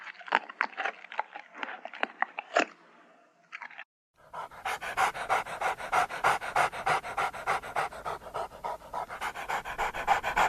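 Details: A dog first makes a run of short, uneven, whiny breaths and squeaks, pauses briefly, then settles into steady fast panting with rasping breaths.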